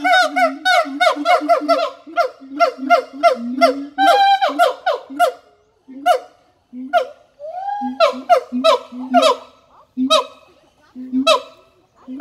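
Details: Siamang in full voice. Rapid low booms are interleaved with harsh, descending barks in a dense, rhythmic stream. There is a short gap midway, then the calling resumes in looser bursts.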